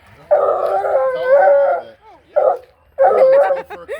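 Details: An excited female Bluetick Coonhound bays loudly. A long, drawn-out, wavering bay lasts over a second and a half, followed by two shorter, rougher bursts of baying.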